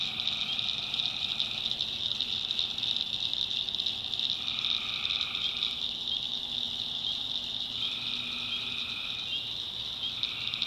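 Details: Tree frogs after dark in the backwoods of North Carolina, a relentless high-pitched chorus punctuated by lower trilled calls that come in bursts every few seconds, alongside chirping crickets.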